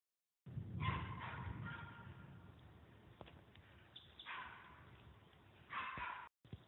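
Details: Female Puggle barking while confronting a deer that refuses to run away; a few sharp, harmonic barks stand out early, mid-clip and near the end over steady rustling outdoor background noise.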